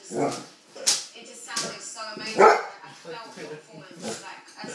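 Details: Irish Setter barking at a balloon: several short, sharp barks, some with a harsh tonal edge, spaced irregularly, with human voices talking in between.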